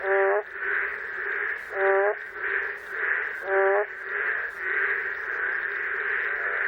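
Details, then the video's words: Boreal digging frog in Korea giving funny, hoarse, out-of-tune calls, short nasal bursts repeated about every one and a half seconds over a dense chorus of other calling frogs. "음 이탈하는, 맹꽁이의 재미난 울음 소리"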